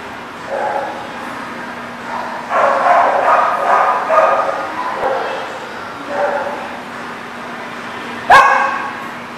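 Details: Dogs barking on July 29, 2019: bursts of harmonic barks and yelps cluster around two to five seconds and again near six seconds, over a steady low hum, with one sharp bang near the end.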